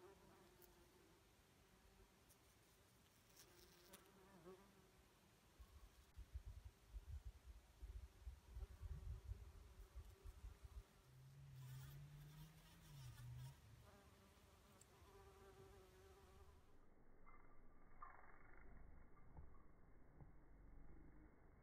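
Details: Mason bees, with a bumble bee among them, in a back yard on a warm spring day in April. A low droning buzz swells and fades, strongest midway, over soft rumbling background noise.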